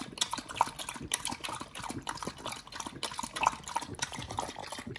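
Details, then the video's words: Nomyen the Pit Bull eating a raw mussel and meat mix, with moist smacking bites and sticky squelches repeating in quick uneven bursts. "nomyen The Pit Bull eats🇳🇿🦪NZ Mussel&🍱RAW Food combo [ASMR] MUKBANG 犬が生の肉を食べる[咀嚼音]"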